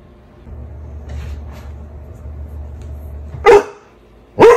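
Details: Two loud, abrupt dog barks a second apart close the recording, after a quiet stretch with a low droning hum; the dog shares a home with a Cane Corso and a Belgian Malinois.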